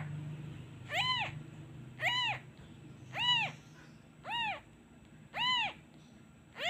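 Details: Abandoned kitten missing his mother keeps crying once the hand is removed, a steady run of six sharp, arching meows roughly every second, with a faint low hum at the start.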